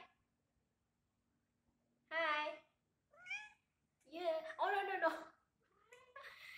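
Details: Domestic cat meowing indoors on a hot summer night: a short burst of silence, then a strong meow, a thinner rising one, and a longer run of overlapping, drawn-out meows toward the end.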